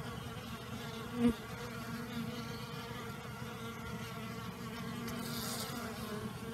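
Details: Honey bees out and flying on an unusually warm winter day in the new year, following a heavy overnight downpour; a continuous, even droning hum of many bees, with one brief louder buzz passing near.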